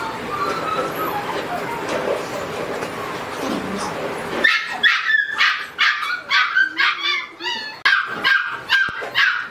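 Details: Reddish-brown Border Collie indoors: a person talks over the first half, then a run of short, sharp, high yips and barks comes in quick irregular succession, roughly two per second, until the end.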